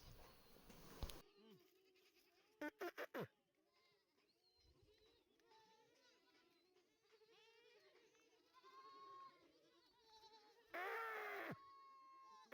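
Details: A newly arrived load of 250 young does and bucks at a goat farm in Indave, Sakri, Dhule, Maharashtra. Several faint, wavering, arched bleats overlap among loud bangs and clattering of the vehicle.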